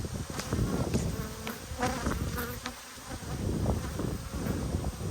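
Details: Honey bees in an open hive during an inspection on 19 March 2022, eggs visible in the comb; a steady low buzzing hum of many bees with scattered handling knocks and faint clicks.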